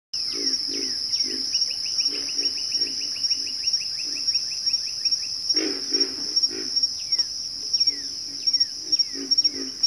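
Pig frog giving low, pig-like grunts in short repeated bursts over a steady high insect drone.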